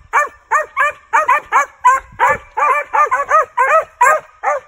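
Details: Rush, a lightly started male Original Mountain Cur squirrel dog, registered and born 5/28/19, barks during training. About a dozen short, yelping barks come in an uneven run, each rising then falling, roughly every third of a second.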